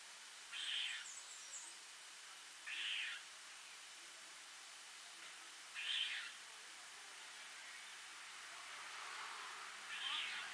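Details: A squirrel up a tree in Africa, seemingly with its mouth full, gives short, harsh, angry chirping calls repeated every two to three seconds; at first it was mistaken for a bird.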